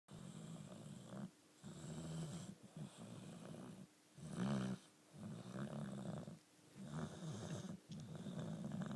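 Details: Cali, a four-year-old female Boxer dog, snoring while asleep indoors: low rumbling snores in regular breaths about every second and a half, each a deep throaty rasp with brief quiet gaps between.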